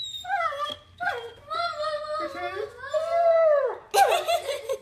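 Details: A lonely puppy named Copper, missing the mom who left, whines in bending tones, then draws out one long, level moan before a sudden louder, noisy yelp at the end, indoors.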